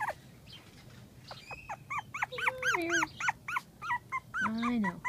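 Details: An eight-week-old female AKC miniature dachshund puppy, recorded in early January 2015, gives a rapid string of short, high, squeaky whimpers and yelps that rise and fall. A longer, lower whine is drawn out near the end.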